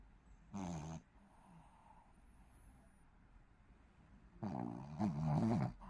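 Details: Young Shih Tzu snoring during sleep: a short gravelly snore, a quiet pause of several seconds, then a longer, wavering snore.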